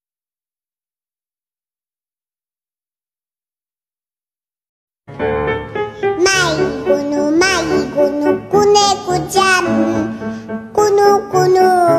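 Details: Five seconds of silence give way to bouncy children's music with a singing voice, and no animal sound.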